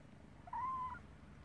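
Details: Kitten giving a single short meow, a clear tonal note near one pitch that rises slightly then levels and fades, lasting about half a second, over a quiet low background hum.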